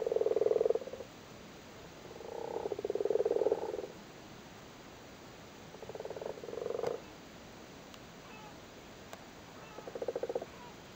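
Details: Male frogs sitting on their spawn in a flooded cattle grid in Cork, Ireland, during spawning season, give low, purring, pulsed croaks in bursts of about a second, four bursts over eleven seconds with quiet gaps between.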